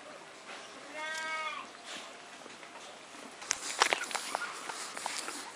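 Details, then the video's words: Four-week-old Alaskan Malamute puppies from a kennel litter; one short, tonal whine with stacked overtones rises briefly near the first second, followed by scattered clicks, taps and shuffling noises of movement. "Alaskan Malamute Puppies - 4 weeks old"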